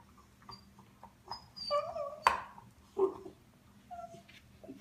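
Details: A puppy chewing on something makes a string of brief, high, whiny squeaks and nasal grunts, each rising or falling slightly. A sharp click cuts in midway over a faint indoor hum.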